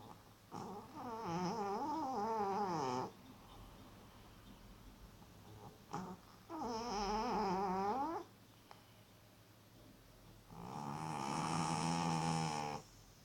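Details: Loud snoring from a sleeping cat in an Elizabethan collar; three long, droning, slightly wobbling breaths roughly every four to five seconds, the last one rougher and breathier.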